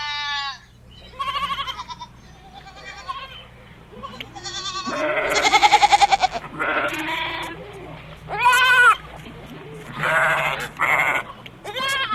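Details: Goat. Several goats call out with harsh, quavering bleats, some long and trembling, others short and clipped. The cries overlap and follow one another closely, with a faint hum beneath.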